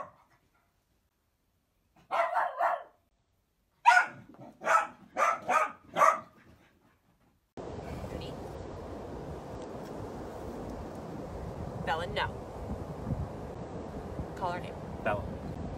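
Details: Sausage dog, a Dachshund, letting out a quick series of high barks and yaps, then a noisy stretch with steady background hiss and a few more scattered yelps.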